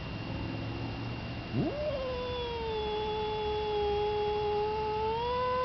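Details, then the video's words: Neutered male cat Thor, indoors behind a screened kitchen window, threatens Yellow Cat, an intact male outside on the porch. After a low rumble, one sharply rising yowl is held level for nearly four seconds before lifting again at the end. "Thor making fightin' noises at Yellow Cat"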